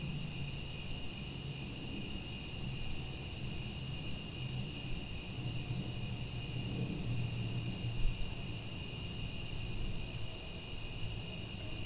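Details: A nighttime cricket chorus forms a continuous shimmering drone of high-pitched trilling that never pauses, with a faint low rumble underneath and a single soft knock near the end.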